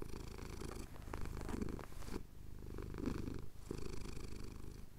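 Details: Domestic tomcat purring contentedly as his chin is scratched, Cotswolds sunrise, Tascam DR-07X recorder; deep vibrating rumble in breath-length pulses, with one short lull near the middle.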